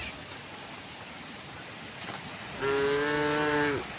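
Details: Morning herd of tame cows strolling toward open pasture; after quiet hiss, one clear harmonic moo lasting just over a second closes the recording.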